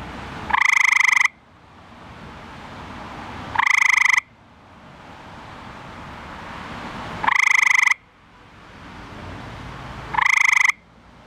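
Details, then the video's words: A male eastern gray treefrog (Hyla versicolor), found in a backyard pool at night calling for a mate, gives loud, musical trills lasting under a second, repeated every three seconds. "Male Eastern Gray Tree Frog Calling"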